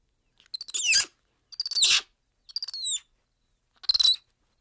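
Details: A black-handed spider monkey (Ateles geoffroyi) gives four high, stuttering calls that break into sliding, falling squeals.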